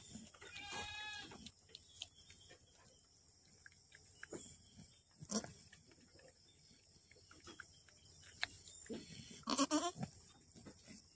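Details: Boer goat kept by a farmer in Aceh, Indonesia, during the birth of twin kids: a wavering, harmonic bleat near the start, a shorter bleat around nine seconds, and scattered clicks and rustling in a quiet pen.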